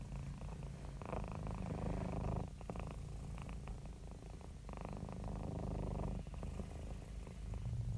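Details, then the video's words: Domestic cat purring while happy and relaxed: a dense, low buzzing rumble with steady rhythmic pulsing, growing louder and softer in cycles of a couple of seconds, no other sounds. "Happy Cat Purring"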